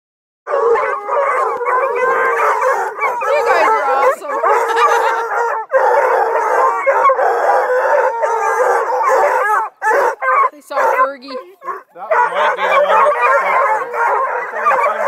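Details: About two dozen hounds at a breeder's kennel near Kingston, Ontario (Bluetick and Redbone Coonhounds, Black and Tans, beagle mixes) bay and howl together in a dense, overlapping chorus of wavering cries.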